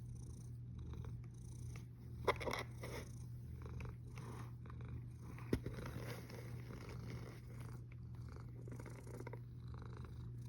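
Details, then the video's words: A sleeping cat snores in a low, even rumble, recorded 1 August 2021 at 13:27, with two sharp clicks standing out near the third and sixth seconds. "Храпящая кошка Snoring cat"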